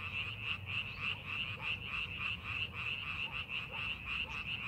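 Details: A chorus of frogs in a rice paddy during farming preparation, with fast repeated croaking notes pulsing roughly three times a second in a steady high band over faint low background hum.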